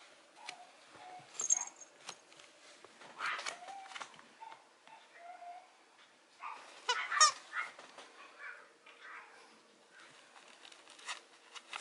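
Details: A female Mame Shiba Inu puppy gives short, high whines and thin yelps among scattered clicks and rustles.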